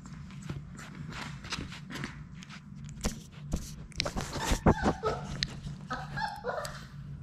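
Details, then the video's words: Labrador Retriever puppies, a litter of six, playing together in an indoor puppy play room; brief high yips and squeaky whines break through late among steady scuffling, pawing and scrabbling on the floor over a low hum. "Labrador puppies at play!"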